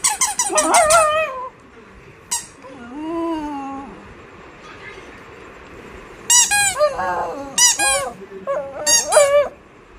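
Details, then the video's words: Oscar, a dog, making cute sounds: high, wavering squeaky whines in short bursts with pauses between, some rising and falling, indoors in a quiet room. "Oscar making cute sounds"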